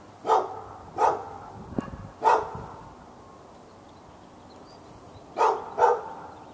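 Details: Dog barking continuously at the neighbouring dog and others within earshot, Raleigh, North Carolina, February 15, 2012: three spaced single barks roughly a second apart, a pause of about three seconds, then two quick barks close together.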